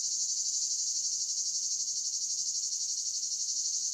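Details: Cicadas singing in the countryside: a steady, high, buzzy drone with rapid even pulsing, about four pulses a second, unbroken throughout, with no other clear sounds.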